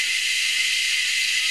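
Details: Short burst of cicada chorus from Anstead, Queensland, Australia, where three or four species call from high in the trees; a steady, piercing, hissing drone without pause.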